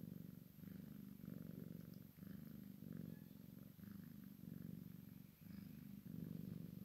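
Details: Maine Coon x Sphynx cat, a kitten playing with its mother; steady low rumbling purr in pulsing bursts, each swell lasting under a second and separated by brief dips where breath changes.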